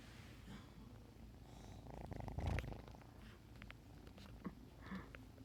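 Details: Purring Bengal kitten, a low pulsing rumble that swells into a louder, rougher burst about halfway through before settling back, with scattered soft clicks and rustles.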